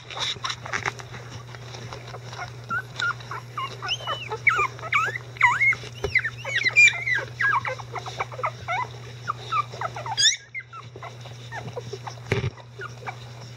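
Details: Eleven-day-old Icelandic Sheepdog puppies, newly mobile and vocal, fuss while their mother Gaela and both grandparents help with cleaning before nursing. Overlapping high, squeaky whimpers and short yips rise and fall in quick bursts, with a steady low hum underneath.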